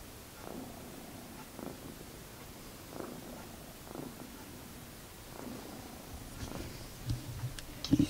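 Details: Pet cat, Magic or Sooty, purring at home: continuous low throaty rumble swelling with each breath roughly every one and a half seconds, a few soft handling clicks near the end.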